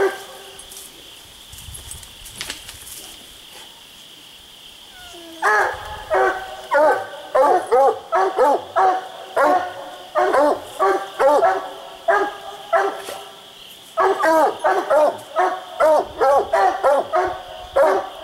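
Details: Raccoon-hunting coonhounds Boone and Bandit, split treed on two trees: a quiet start with faint background noise, then bursts of loud, rapid, echoing barks from about five seconds on, with a brief pause midway before barking resumes.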